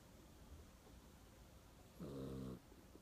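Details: Mong-i, a pet dog, snoring in sleep: one short buzzy, low harmonic snore of about half a second rises out of quiet room hiss near the end.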